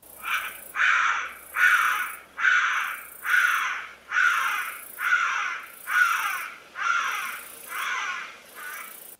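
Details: A thick-tailed bushbaby in Southern Africa gives a steady series of about eleven loud, harsh, wailing cries, each under a second long, roughly one every 0.8 seconds.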